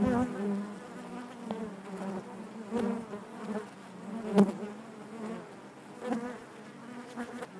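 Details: Honey bees buzzing inside their hive, a dense steady hum with a strong low drone and layered harmonics, swelling and fading as individual bees pass close, with brief sharp clicks and knocks.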